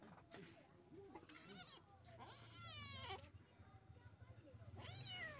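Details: Mother village cat with her kittens: a run of high, rising-then-falling meows, three or four within five seconds, some short and some drawn out, over people talking and a low steady hum.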